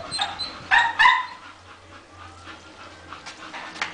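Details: Female Bull Terrier Masseter Alanis, out on a leash in the sun: two loud, sharp yelps close together, followed by softer, scattered whimpering yips that fade away.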